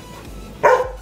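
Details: A Golden Retriever being trained on the "speak" and "quiet" commands gives a single short, loud bark on command.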